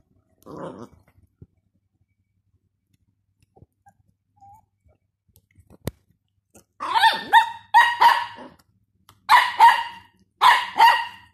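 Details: Jack Russell female aged 12 and a Dachshund puppy male aged 3 months together: a short yelp near the start, then a quiet gap with faint taps, followed by three bursts of sharp, rapid high barks in quick succession.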